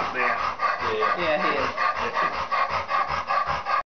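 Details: While swimming at a dog spa, an elderly black Labrador pants rapidly and fairly steadily, nearly three breaths a second. A person's voice is heard alongside, and the sound cuts off abruptly at the end.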